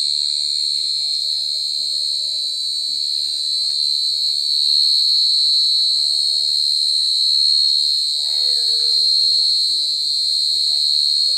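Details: Mole cricket (gangsir) stridulating very loudly: a steady, unbroken high-pitched ringing trill with no pauses, with faint low murmurs and a brief chirping sound in the background.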